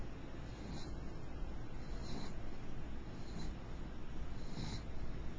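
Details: Mixed beagle named Princess snoring while asleep; soft, breathy rasping snores come in a steady rhythm about every 1.3 seconds, four in all, over a constant low hum.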